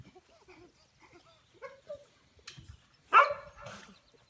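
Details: Young American Bully puppies: faint soft murmurs and noises, then a single loud, sharp yap near the end.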